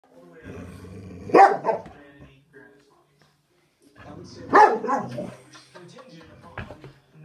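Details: A Boxer gives two loud, rough barks a few seconds apart at a ceramic French Bulldog figurine it is meeting for the first time, with people talking quietly nearby.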